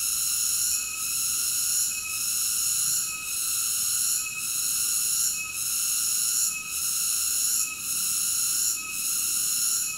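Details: Continuous shrill cicada buzzing with regular dips in loudness roughly each second, unbroken and free of other noises.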